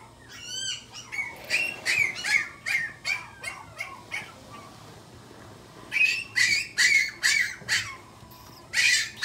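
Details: Pomeranian at a pet shop giving rapid high-pitched yaps, about two per second in two bursts separated by a short pause, with a few squeaky whines at the start.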